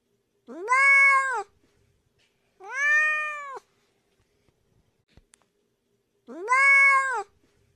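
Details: A domestic cat gives three drawn-out meows roughly two seconds apart, each tonal and rich in overtones, steady in pitch and falling off at the end; a faint click sounds between them.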